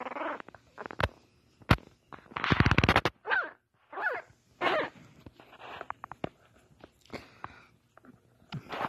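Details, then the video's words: Small female French Bulldog puppy, eyes barely open, giving her first growls and barks: a string of short squeaky yelps, rough grunting growls and whimpers in irregular bursts, with a louder buzzy growl near the middle. "Her 1st growls"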